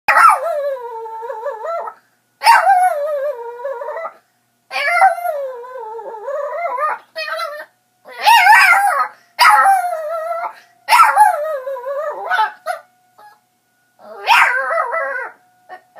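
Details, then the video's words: Chihuahua named Marco howling along with a weekly tornado siren test, wavering sung howls in long bursts of one to two seconds with short pauses, rising and falling in pitch, a few yips between, a person speaking afterwards. "Chihuahua sings with the tornado siren"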